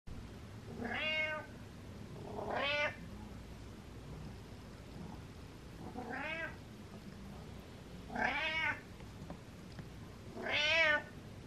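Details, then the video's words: Butters, a house cat, meowing in the hallway in the morning: five loud harmonic meows spaced roughly two seconds apart, each rising then falling, over a quiet indoor background. "Hallway Morning Meows"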